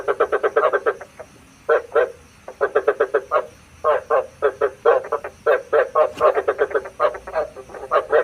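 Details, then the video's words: Frogs recorded as a trapping lure at night, giving bursts of fast, pulsed croaks separated by short silences, about four pulses per second, with calls overlapping in places. "Tiếng ếch mồi chuẩn 99,99% cho ae bẫy đêm tham khảo"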